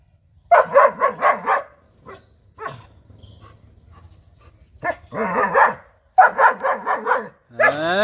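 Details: Five-month-old German Shepherd puppy barking in rapid bursts of four to five sharp barks, a quieter gap with faint sounds, then more fast bark runs; a person laughs and calls nearby, steady low hum beneath.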